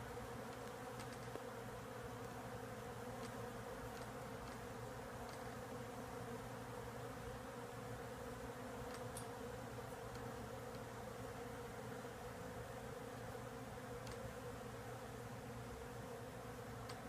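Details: A huge swarm of bees nesting inside the woodwork of a house wall makes a steady, low, droning hum with even bands of tone that hold unchanged throughout, with faint light clicks above.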